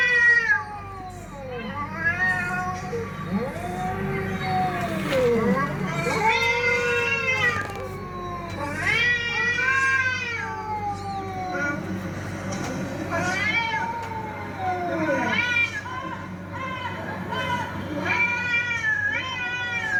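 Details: Fighting cats in a sustained exchange of wavering yowls and sharp rising-falling howls, voices overlapping and alternating, with several loud arching cries and a faint steady hum beneath.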